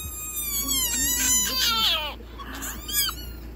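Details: Hyena cub in Kruger National Park screaming as its sibling grabs it by the nose and won't let go; shrill, wavering, high-pitched squeals with bright harmonics, rising and falling over several seconds, then a short final cry.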